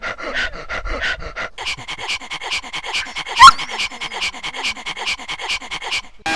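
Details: Siberian Husky dog panting hard, steady breathy pulses several per second throughout, with one brief sharp squeaky sweep partway through.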